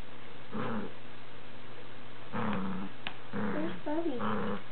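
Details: Four-year-old greyhound and two-month-old beagle puppy tugging on a toy indoors; a few rough, rising-and-falling growls and grumbles in short bursts, one sharp click midway, low steady hum throughout.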